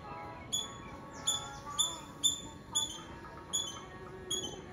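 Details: High, clipped chirps from a squirrel in Tamil Nadu, India (Nazareth), about two per second in a loose, uneven rhythm, with quiet tonal murmurs and hum beneath.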